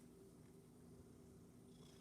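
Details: Rescued Domestic Shorthair cat practicing tricks indoors, purring evenly for two seconds in an unbroken low rumble with no pauses.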